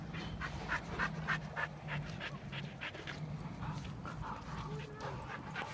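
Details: Husky scene with a big male husky testing a pit bull: rhythmic breathy panting bursts, fast and fairly even, with a short whining tone near the end and a steady low hum underneath.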